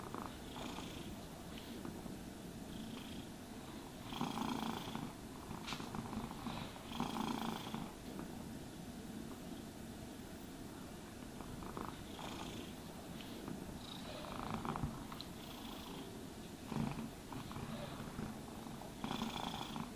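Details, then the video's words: Domestic cat purring while being brushed and groomed indoors; a steady low rumbling purr runs throughout, with soft bursts of brushing strokes every few seconds. "Cats Purring Sounds for Sleep and Stress Relief | Cat Brushing, Cat Grooming Asmr No talking"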